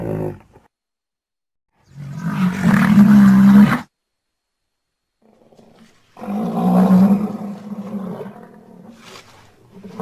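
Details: Rhinoceros giving two long, deep, rasping roars about four seconds apart, each a low, droning groan with rough, noisy overtones, separated by silence.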